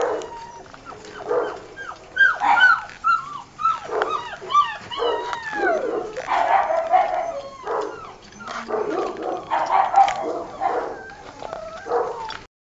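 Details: Litter of four Old Tyme Bulldog puppies, six weeks old and just taken off their mother to wean, producing a busy chorus of high, bending whines and sharp yelps, overlapping and repeated rapidly throughout, several pups calling at once.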